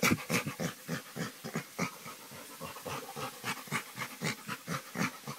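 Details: A chocolate Labrador Retriever making odd noises while being scratched on the back: rapid, rhythmic breathy pants and snorts, about three to four per second, steady throughout with no other sounds.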